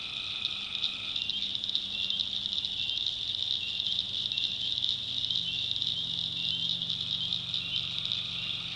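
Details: Tree frogs calling at night in a North Carolina backwoods swamp: a dense, shrill, unbroken high chorus, with a steady lower trill in the first second that returns near the end, over a faint low hum.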